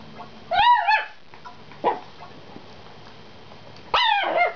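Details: Indoors, a Chihuahua begs for the chew that a Jack Russell is eating, giving high, wavering whines in two drawn-out bursts with a brief yelp between.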